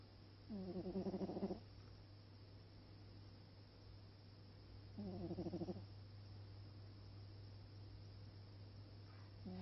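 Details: Stripey cat Alfred snores while asleep: rough, vibrating breath bursts about a second long, spaced roughly four seconds apart, over a constant low electrical hum.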